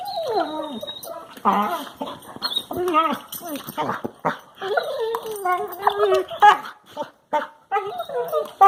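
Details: Two Labrador Retriever puppies play with each other indoors in a living room, recorded March 2, 2018, making funny noises: whiny, wavering yelps and groans that often slide downward, in short bursts separated by brief pauses.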